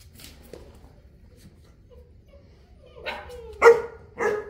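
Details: After a quiet stretch, one of Enzo and Diva, a South African Mastiff couple living in Egypt, lets out a rough bark and then two louder deep barks in quick succession.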